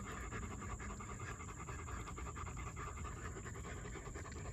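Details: German Shepherd panting: quick, even breathy bursts repeating several times a second with no pauses, over a steady low rumble and a constant high hiss.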